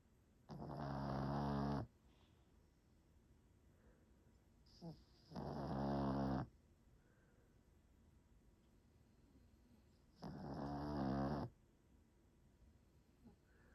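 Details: A sleeping dog snores in a quiet room: three rough, buzzy, droning breaths, each lasting over a second, come about every four to five seconds, separated by near silence.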